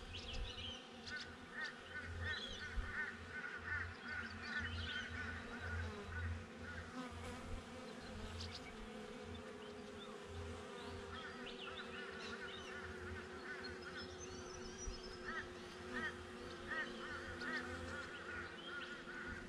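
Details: Continuous low buzzing of honey bees captured by a GoPro placed outside a backyard beehive, the drone holding steady under rapid, repeated squeaky bird chatter and occasional sharper chirps.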